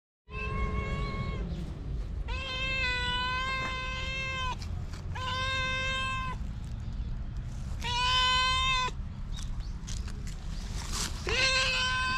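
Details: Formerly abused stray cat in Japan, regaining trust in people, giving a series of long, clear meows about a second each, some slightly rising or falling, repeated with short gaps; steady low background rumble.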